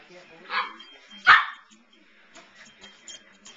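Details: Samoyed named Evelyn standing up to another dog, Pearl: one short soft vocal burst followed by a single loud sharp bark, then quiet clicks and light rustling indoors.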